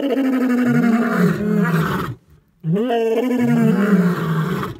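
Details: Three male lions roaring together to protect their territory in Africa: deep, drawn-out groaning roars with falling pitch, overlapping voices, a brief silent gap midway, then the chorus resumes loudly.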